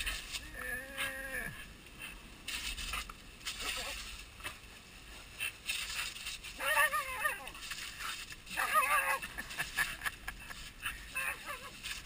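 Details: Border Collies Nana and Zelda 'helping' clean a boat on July 1, 2012: a drawn-out, wavering whine opens, and shorter wobbly whines follow later, amid scraping, clattering and human speech.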